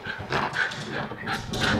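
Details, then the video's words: Indoors, two female miniature schnauzers wait for a big blue yoga ball to be thrown, giving short, bright, rising whines and yips in quick succession, with a woman's voice faintly present. "schnauzers want the yoga ball"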